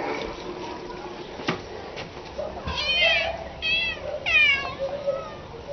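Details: Domestic cat meowing: three short harmonic meows near the end, rising then falling, the last the loudest, over low room noise with faint speech and clicks earlier.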